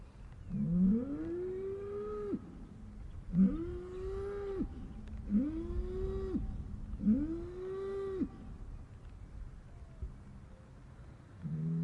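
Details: Upset cattle moo sadly in four similar calls about every two seconds, each starting low, arching up into a sustained nasal tone, then breaking off abruptly, with a fifth moo beginning at the end.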